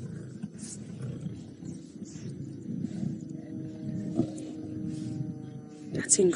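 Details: Wild lions of the Nkuhuma Pride at Djuma Game Reserve feeding on a buffalo carcass, filmed on an afternoon drive on March 13, 2018: low, rumbling continuous growls with rasping bursts, a few sharp higher squeals near the end.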